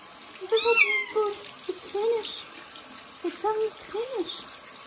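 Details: Kitten Joe, a young cat, getting his first bath and flea treatment before going to a new home: several short, wavering meows over running tap water, with a person talking softly between cries.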